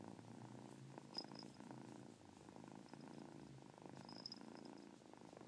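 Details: Pet cat purring close up: a steady low rumbling purr with a few faint, high, brief chirps mixed in.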